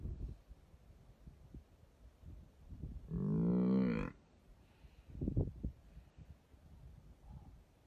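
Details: Buffalo attacked in its sleep and eaten alive by a hyena lets out one loud, rich, moo-like bellow of about a second, framed by dull thumps and low rumbling.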